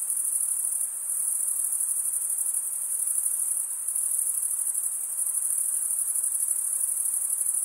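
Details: Crickets stridulating, with mostly males chirping, form a dense, continuous high-pitched trill that stays steady and unbroken throughout, with a faint hiss underneath and no other sounds.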